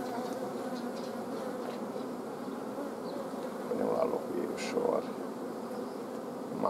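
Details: Honey bee colony at the apiary, 14 June 2016, queen blocked from laying amid a forage shortage; steady low humming drone dominates, briefly swelling near the end with faint voice-like sounds over it.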